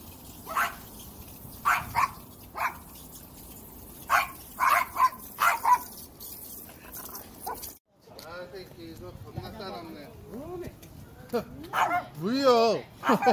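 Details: Angry pet dog in South Korea barking in short sharp bursts, spaced irregularly over the first seven seconds, then falling quiet while a woman talks in Korean.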